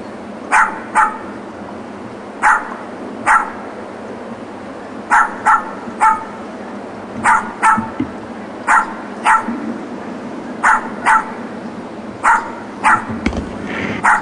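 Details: Neighbours' neglected dogs, left alone in a back yard all day, bark persistently on weekdays from 9am to 6pm in short sharp barks, often in pairs, repeated every second or so.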